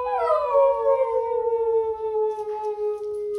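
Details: Basset Hound howling on a weekend outing, one long sustained note sliding slowly downward from a higher start and holding steady with rich harmonics for over three seconds, faint background music.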